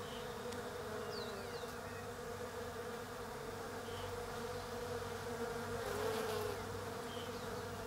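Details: European honey bees work the autumn flowers of a leafless Desert Ash tree (Fraxinus oxycarpa) down under. They make a continuous layered drone with a swelling pitch band, while faint short bird chirps sound in the background.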